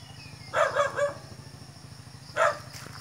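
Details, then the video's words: Dog barking while a cat listens: a quick run of three short, hoarse barks, then a pause and one more bark near the end, over a steady low hum. "The dog's barking while this beautiful cat listening"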